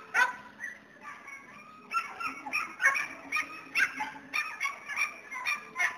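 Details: Border Collie sheepdog barks in a steady series of short, harsh yaps over six seconds, some spaced closely, others a second apart, over a faint low hum.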